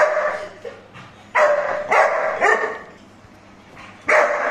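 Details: Newly arrived Labrador Retriever puppy barking indoors: four short, bright, yappy barks in separate bursts with harmonic squeals, separated by quiet pauses.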